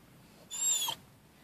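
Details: One-year-seven-month-old mini pit bull making a vocal sound taken for "who's that"; a single half-second high, thin whine that bends upward then slides down, followed by a person asking what.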